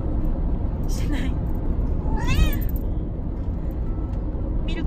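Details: A Bengal cat, one of five being moved together by car, gives a single rising-falling meow mid-clip, with a shorter cry near the start and end; speech and steady low vehicle rumble run underneath.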